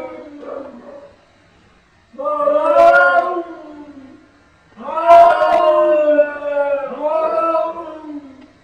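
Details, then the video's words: Back-and-forth cat talk: a soft opening mew, then drawn-out wavering yowls, the last two following closely one after the other, with near silence between the calls. "funny cats talking each other"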